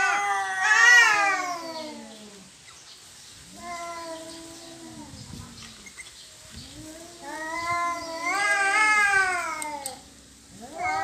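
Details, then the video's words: Domestic cats fighting over territory: long drawn-out wailing yowls with rich harmonics, swelling and falling in pitch, several rising screams overlapping near the start and again around eight seconds, separated by quieter moaning howls. "Kucing Berantem Rebutan Wilayah"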